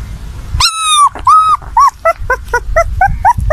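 A puppy cries with high, drawn-out whines followed by a string of short whimpers.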